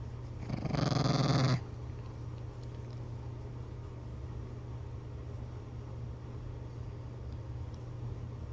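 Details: Maxwell Benton, a rescued Chihuahua, cuddling and curling up under a blanket at bedtime, gives one low rumbling growl lasting about a second, then quiet with a steady low hum.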